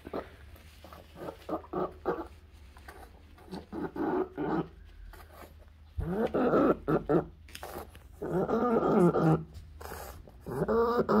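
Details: Pug with encephalitis during a recurring seizure, giving strained, moaning cries in irregular bursts of about one second. The later cries grow longer and louder, with short silent gaps between them.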